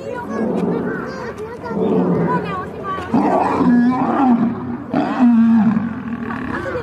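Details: Two fighting lions snarl and growl, the sound rising into louder, strained wavering cries in the second half, with clearer tonal bursts near the end.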